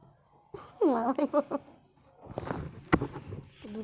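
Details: Cats Monu and Kuki fighting indoors: a short burst of wavering, harmonic yowls rising and falling over about a second, followed by scuffling noises and nearby human voices in Bengali.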